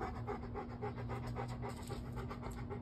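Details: Bo, a male pet dog told to lie down but not settling, gives fast, even, rhythmic panting, roughly eight huffs per second, while a faint constant electrical hum runs underneath.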